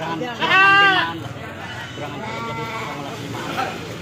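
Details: Goats bleating at a goat market, Pahonjean, Majenang, where male goats are sold; one loud wavering bleat near the start, fainter bleats later, with people talking throughout.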